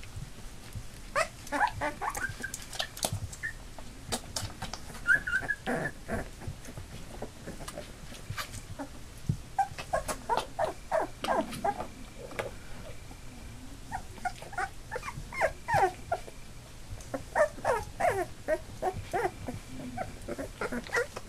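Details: Labrador Retriever puppies, eight of them at nearly three weeks old and just starting to walk, make scattered high squeals and short yips mixed with dense clicking and scratching sounds from the litter moving about, with a faint voice now and then.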